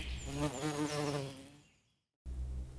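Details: Honey bee shown as a farm animal, buzzing: a low, droning hum with a wavering, pulsing pitch for about one and a half seconds, fading away into silence before a faint low hum returns.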